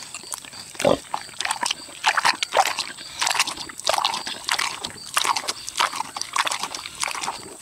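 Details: A 6-year-old boar pig eating juicy tomatoes: wet smacking and chewing in rapid irregular bursts, with short grunting noises mixed in, a close steady recording with no other sounds.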